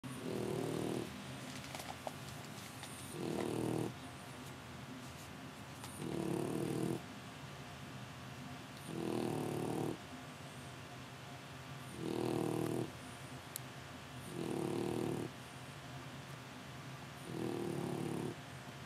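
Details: French Bulldog puppy sleeping soundly in Japan, snoring in broad low rasping breaths about every three seconds, each lasting roughly a second, with quiet gaps between them indoors.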